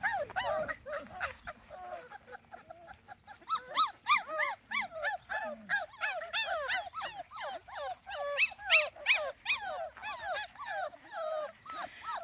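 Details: Small Munsterlander puppies, a litter 2.5 weeks old and outside for the first time, give a busy chorus of high, arching whimpers and squeals, overlapping and repeated almost three times a second, rising in intensity through the second half.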